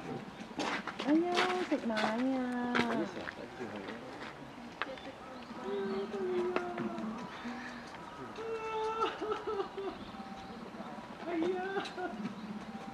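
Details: An 11-month-old female polar bear cub at Maruyama Zoo, Hokkaido, begs her 17-year-old mother for milk with whiny, harmonic bawls rising and falling in pitch, growing louder; 15 December 2011.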